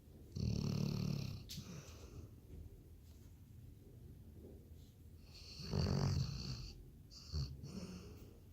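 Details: A Labrador Retriever snores loudly: heavy, throaty inhalations with a hissing, wheezy edge, repeated about every five seconds, and a small snort between them.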